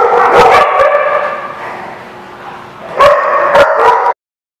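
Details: Dog recorded on 16 September 2016: sharp, bursting barks near the start and again around the three-second mark, with a sustained, harmonic whining howl between them that fades in the middle and swells back before the clip ends abruptly.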